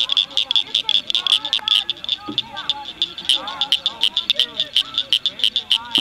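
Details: Blanchard's cricket frogs, a rare population, calling in May 2006 at Cricket Cove Park near Cygnet, Ohio; dense, rapid clicking over a continuous high tone, with scattered lower sliding whistles in the background.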